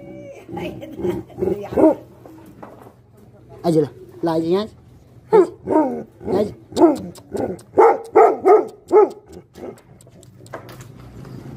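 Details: Tibetan Mastiff (Bhote Kukur) barking angrily, a long string of loud, gruff barks that grows faster and denser toward the end, over a faint low background hum.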